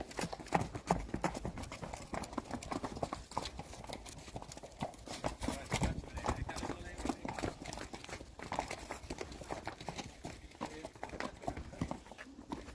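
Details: Hooves of Friesian mares clatter in a dense, irregular stream of clops, nearly three per second, lasting throughout, as the horses move together; faint voices occasionally heard in the background.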